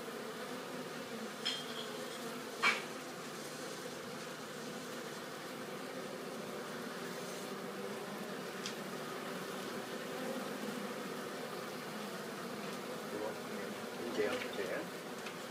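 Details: Honeybees carrying pollen back to their hive: a continuous low buzzing hum from many bees, with a few brief louder passes as single bees fly close, and faint clicks.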